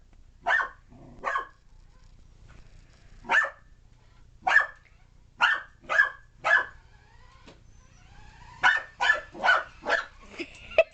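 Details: Excited puppy Alphie barks at a remote control car: a long run of single sharp yaps, spaced irregularly at first, then a fast burst of five or six near the end, with a faint motor whine.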